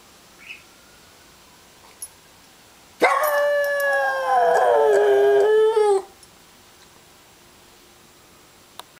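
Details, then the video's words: Dog answering a passing siren with a single loud, harmonic-rich howl of about three seconds, wavering then sliding slightly downward, set between quiet stretches with faint siren traces and small clicks. "howling at siren"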